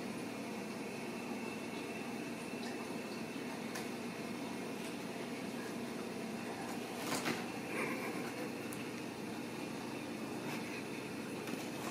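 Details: Quiet indoor hiss like a fan or air conditioner, with a few soft clicks and rustles and no animal calls.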